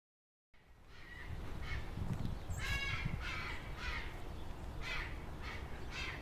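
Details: Three wild red foxes, a pair mating while a second male calls out in complaint at not being chosen; harsh, hoarse barks repeated about every half second against steady low background rumble.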